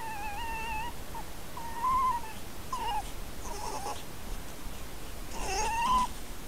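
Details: Two red foxes near their dens, captured by camera trap in rural Corte Franca, Cavarzere area (VE), Italy: a run of tonal whines with harmonics, some rising then falling, mixed with short rough noisy bursts.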